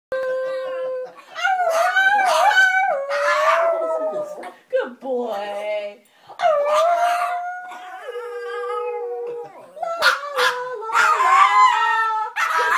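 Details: Indoor recording of a pet Yorkshire Terrier being taught to howl by a person: sustained wavering howls with rich harmonics, sometimes rising and falling, overlapping with the person's own howling imitation across several bouts.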